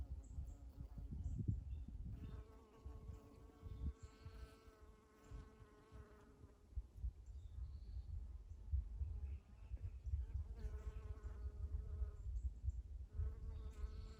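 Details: A honey bee buzzes past in steady, humming bursts over a low outdoor rumble, with light bird sounds, among Eastern Redbuds in spring.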